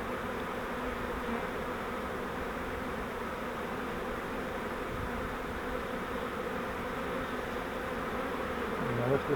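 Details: Honey bee swarm caught in a flowerpot swarm trap and being moved into a Langstroth hive; dense continuous humming buzz throughout, steady, with faint handling noises of hive frames.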